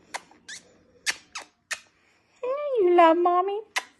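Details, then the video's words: Della, a six-week-old Pomsky puppy, 'talks' indoors: a few soft clicks and taps, then a drawn-out, wavering whine-like yowl lasting about a second, sliding slightly downward, followed by another tap. "Della is quite the talking pomsky puppy"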